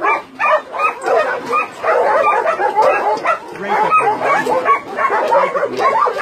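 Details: Dense barking from many dogs at a Nonsan, South Korea meat farm doubling as a puppy mill, January 2017; overlapping high yelps and barks, with some lower drawn-out sounds mixed in.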